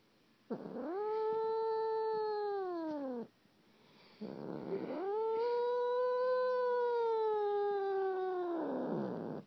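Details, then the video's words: Weird cat noises: two long drawn-out yowls, the first almost three seconds and the second over four, each rising, holding a rich harmonic tone, then sliding down at the end, in a quiet room. "Weird cat noises"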